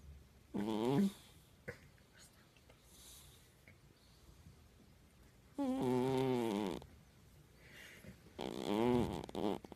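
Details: Snoring from the house cat Jaja in a quiet room: three drawn-out, buzzy, rattling breaths, the longest over a second, with short pauses of soft near-silence and small ticks in between.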